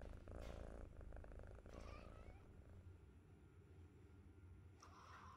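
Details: Young kitten, 63 days old, purring quietly in a fast, pulsing low rumble, with a brief high squeak near the start and light rustling.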